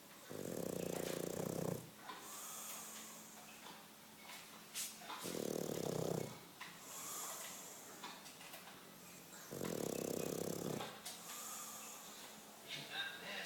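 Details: Sleeping English Bulldog snoring loudly, three long grating snores spaced about four to five seconds apart, with soft wheezy exhalations and small snorts in between.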